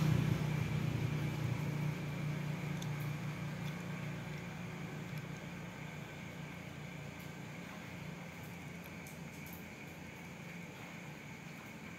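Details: A droning low motor or fan hum slowly fades beneath faint room noise, without any animal call.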